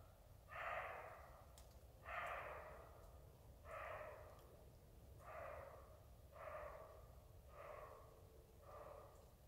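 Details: Barking roe deer giving a series of seven rough, gruff barks about one and a half seconds apart, gradually fading slightly, with steady low background hum.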